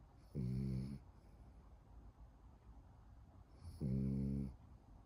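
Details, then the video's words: Snoring French bulldog: two loud buzzy snores about three and a half seconds apart, each lasting under a second, with low breathing noise between them indoors. "프렌치불독 강아지 코골이 French bulldog snoring"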